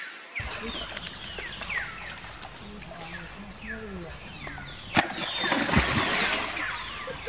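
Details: After being attacked by the monkey Spring, female baby monkey Jinx gives repeated high descending squeals, about four a second; a sharp knock and a splashing, rushing noise break in midway.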